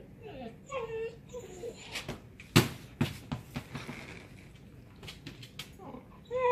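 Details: A one-year-old female Siberian Husky in her crate after dinner whines in high, wavering tones that rise and fall, broken by knocks and thumps; a weird noise she only began making a few months ago.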